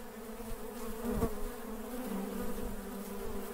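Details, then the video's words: Working honey bees make a steady, deep droning hum with bright overtones, a single bee seeming to pass close with a brief louder crackle just after one second. "RONZIO DELL' APE | BUZZING BEES"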